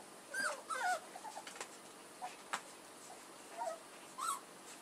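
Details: Puppies of the dogs Edhel and Berry giving high, squeaky whimpers in short bent bursts, some rising then falling, spaced irregularly across a few seconds, with soft clicks and a faint steady hiss behind.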